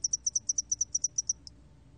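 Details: Spotted-wing hairy cricket, 2020 recording. One short train of about a dozen sharp, high-pitched pulses in roughly one and a half seconds, followed by a single trailing click and then quiet with a faint low hum.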